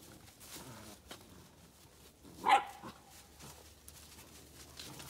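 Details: Eight-week-old yellow Labrador Retriever puppy from Rosie's litter, indoors at play: a single short, sharp yelping bark midway through, otherwise quiet room with faint rustling and handling sounds.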